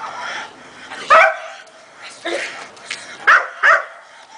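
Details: One-year-old Belgian Malinois, a sturdy, manageable young dog, giving three sharp barks: one near the start, then a quick pair close together about two seconds later, over a low background hum.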